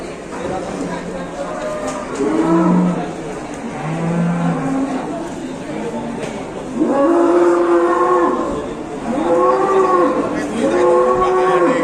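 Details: Big cattle during unloading, lowing repeatedly: a series of deep, drawn-out moos, each swelling then falling in pitch, about five calls within twelve seconds. Faint talk and background music underneath.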